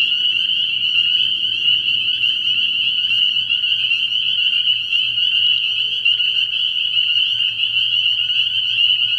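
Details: Early-year night at a frog pond, spring peepers massed in a loud, unbroken high-pitched piping chorus, faint low rumbling beneath.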